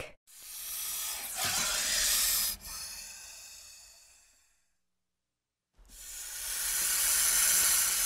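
A snake gives two long, breathy hisses, each lasting a couple of seconds and separated by a short silence.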